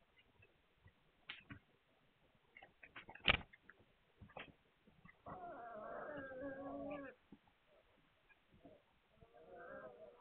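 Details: Whimpering from young Hungarian Vizsla puppies on 9 March 2021: a steady, wavering whine of almost two seconds, then a shorter one near the end, following several sharp clicks and taps.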